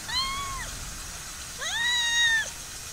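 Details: In a summer olive garden home to many cats, one cat gives two clear arched meows, the second longer and louder with a rising start, against a steady high insect buzz.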